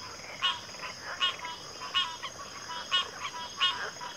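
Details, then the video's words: Chorusing frogs giving loud rasping croaks about every three-quarters of a second, fainter croaks filling the gaps, and a steady high whine underneath. "Frog Chorus"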